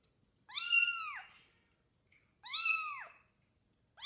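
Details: Father cat carefully meeting a newborn kitten from a litter of four: drawn-out, arching meows about two seconds apart, a third beginning at the end, with near silence between them.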